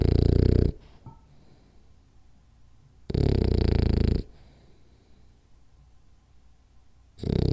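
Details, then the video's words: Sleeping French Bulldog at rest indoors, giving heavy, deep, rattling snores lasting about a second, separated by roughly two-second pauses of soft breathing. "French Bulldog Snores Hard For 10 Minutes"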